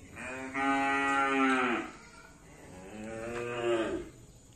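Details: Cattle kept for karapan sapi, the traditional bull racing of Madura island, East Java, Indonesia. Two loud, deep, harmonic moos, the first long and steady and dropping at its end, the second shorter and softer after a brief pause.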